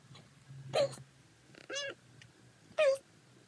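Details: Domestic cat meows played at altered speeds: three separate harmonic meows, each under half a second, the first and last higher and bending downward, the middle one lower and stretched, with a low indoor hum between them.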